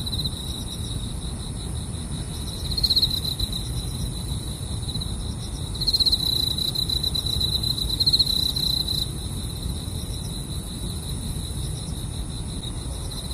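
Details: Grass insects calling at night at a car-camping spot: a steady, high, ringing trill holds without a break, swelling louder in short bursts around three, six and eight seconds, over a constant low rumble.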